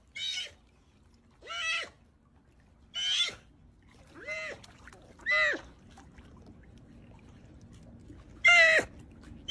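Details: Sea otter crying: a series of short, high, harmonic squeals, each about half a second long, spaced one to two seconds apart, with a quiet background.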